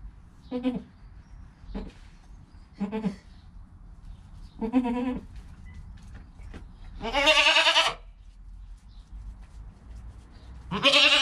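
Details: Goat kid less than an hour old, next to its mother: a run of six tremulous, harmonic bleats, short ones early then two long, strong, wavering cries near the end, with quiet rustling between calls.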